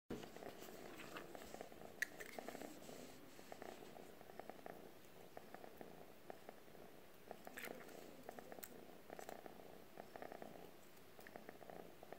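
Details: Calico cat purring while nuzzling a stick indoors, a soft, low, continuous rumbling purr in a quiet room, with faint rustles and small clicks.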